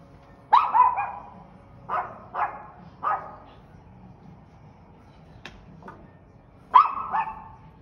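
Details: Dog barking loudly in an irregular run of about six barks, some doubled in quick pairs, with a sharp click and a soft yap in the pause before a final strong bark.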